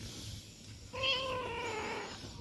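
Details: A pet cat playing in front of its home gives one drawn-out meow that starts abruptly and slides slowly downward in pitch over about a second, with a person speaking Vietnamese just before and after.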